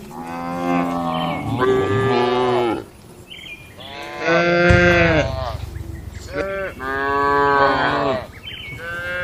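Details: Village cattle lowing in their shed after dark: four loud, rich moos, each held about a second or more, with brief higher calls between them.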